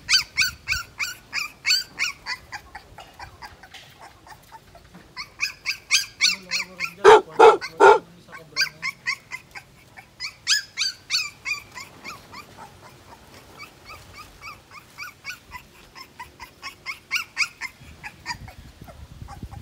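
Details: Two-week-old Siberian Husky puppy crying: rapid strings of high squeaky whimpers, nearly three per second, rising into louder, harsher yelps around the middle, then dropping back to softer, quicker squeals.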